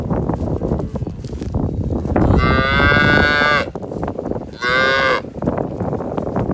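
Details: Hereford cattle at calving time, from a herd bred to registered Brahman bulls: a drawn-out, richly harmonic moo of over a second, then a shorter second moo after a pause, over steady rumbling wind and handling noise.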